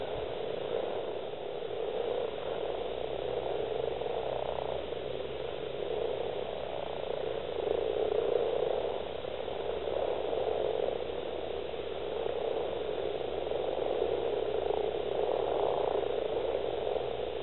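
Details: Scottish breeding gathering of common frogs, at least 70, East Kilbride, February 2012; males call in a rapid, overlapping purring croak that swells and fades in waves, with a faint low hum beneath.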